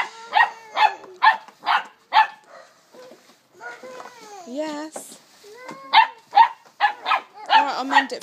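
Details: Female Springer Spaniel puppy, 12 weeks old, playful and excited: a run of five sharp, evenly spaced barks, then whining and squeaky yelps with a person talking in Dutch, then another quick burst of barks.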